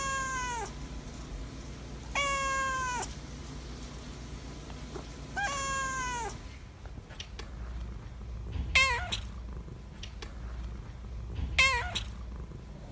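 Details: Debbie, a polydactyl calico cat, meowing indoors: three long harmonic meows about two seconds apart, then short chirpy meows, with low room hum underneath.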